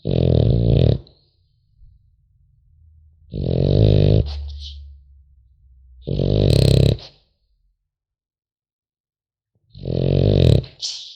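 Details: French Bulldog puppy snoring in its sleep: four rough, low rattling snores about three seconds apart, with soft humming breaths between and a thin wheeze closing the last.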